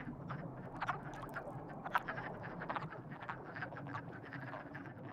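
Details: Several frogs croaking in a mating chorus, rapid crackling calls overlapping thickly with a few louder snaps near the second mark, low rumble underneath throughout.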